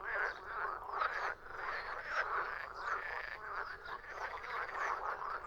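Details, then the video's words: A chorus of frogs croaking, rough rattling calls overlapping densely, with short pauses where the sound briefly thins before swelling again. "Frog sound effect / Verso rana / Frogs croaking / Verso della rana"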